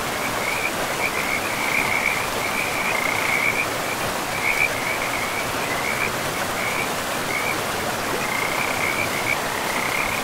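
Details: Forest river frogs calling: a string of pulsed high trills in uneven bursts, a quieter gap mid-way before they resume, with steady flowing-water noise beneath throughout.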